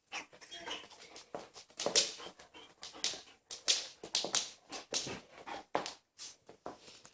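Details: Akita dog making talking-like vocalizations to its owner; a run of whiny, yowling syllables in irregular bursts, rising and falling, with short gaps, indoors.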